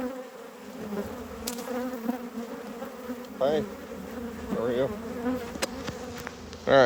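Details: Honey bees buzzing around an open hive during harvest and expansion as frames are slid back in; a steady low hum with a faint overtone, broken by short voiced sounds and handling clicks.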